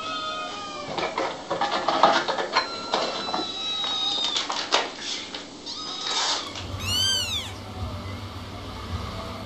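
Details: Little kittens meowing in a busy mix of short tonal mews and squeaks, several overlapping, followed near the end by a run of quick rising-falling chirps.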